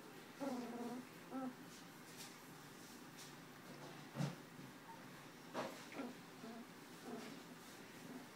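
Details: Two-week-old puppies of the Tucker x Libby litter, eyes opening, recorded January 27, 2012: repeated short, nasal whimpers in several bursts, interspersed with soft knocks and movement, faint indoor hum underneath.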